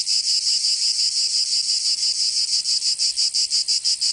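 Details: Summer chorus of cicadas in Provence, in the south of France: a shrill, continuous buzz with regular rapid throbs, about three per second, growing more distinct toward the end.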